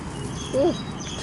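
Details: Shiba Inu giving a single short, squeaky whine: a brief tonal note that rises then dips, lasting under a quarter second, over a steady low background hum.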